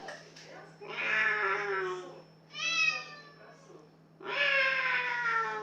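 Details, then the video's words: Singing cat indoors giving three long, drawn-out meows: a sustained first call, a shorter, higher-pitched middle one, and a final long, steady wail, separated by brief quiet gaps. "Singing cat Поющая кошка"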